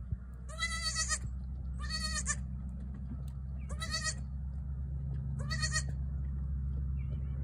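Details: Four quavering, high-pitched bleats from a newborn she-goat, each about half a second long and roughly every one and a half seconds, over a continuous low hum.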